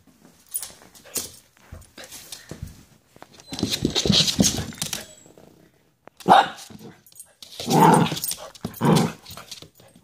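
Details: Domestic dog barking indoors: scattered soft yelps, then a longer noisy stretch of barking, followed by three loud, harsh barks in quick succession.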